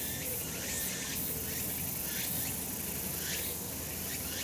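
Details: Sunlit summer mountainside full of cicada calls: an unbroken high, grating buzz with a few louder bursts and faint upward-curving strokes, against a quiet low background.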